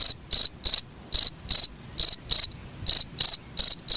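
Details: Cricket calling for songbird training, its high metallic chirps coming in irregular bursts with short silent gaps between groups, clean and close with little background.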